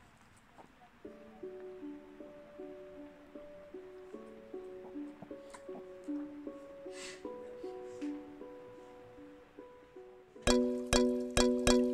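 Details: Gentle plucked ukulele music ends in louder strummed chords, with no animal sounds.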